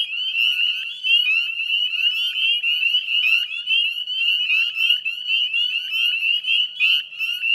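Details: A chorus of northern spring peepers in the Chezzetcook salt marsh area of Nova Scotia, Canada, at dusk in mid-May 2020: constant shrill whistled peeps, many callers overlapping in a bright, throbbing mass.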